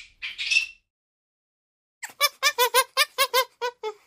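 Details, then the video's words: Monkey calling: a short high squeal, a pause of over a second, then a rapid run of about ten clipped, harmonic chattering notes repeated several times per second. "suara monyet"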